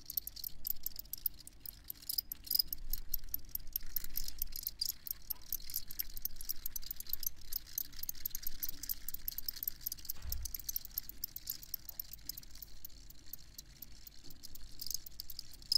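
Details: Continuous cricket chorus: dense, high, ticking chirps repeating without pause, with a deep rumble underneath and a brief low thump near the tenth second.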